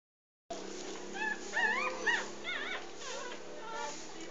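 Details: Three-day-old English Bulldog puppies nursing from their mother Maggie, her first litter of six, three females and three males; after a brief silence, a few thin rising and falling squeaks cluster together, then fade into soft background noise.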